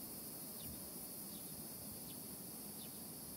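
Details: At sunrise, a steady, high, hissing drone of cicadas calls together, with faint short descending bird notes about every three-quarters of a second.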